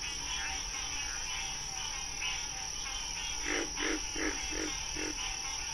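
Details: Frog calling in a relaxing nature recording set to music: a dense, steady, high, shimmering chorus runs throughout, then five short, loud croak-like pulses come roughly every third of a second near the end, over a constant high tone and soft music.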